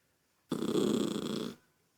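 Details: Toy poodle Lucky, bothered by a child's noise at home, lets out a single gravelly, rumbling growl lasting about a second, steady then fading, with a quiet room around it.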